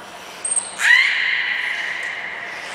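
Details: Nana, a beluga at Port of Nagoya Public Aquarium, training on 13 April 2019. A short high squeak comes first, then a sharply rising whistle that levels off into a sustained, slightly wavering tone.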